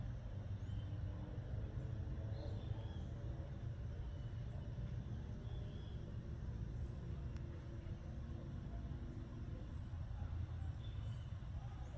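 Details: A steady low rumble, like distant traffic, fills a garden recording with no clear animal sound.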